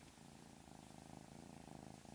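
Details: House cat with a peculiar, often quiet vocalization; a gentle, even rumbling purr runs continuously, slightly swelling in the second half.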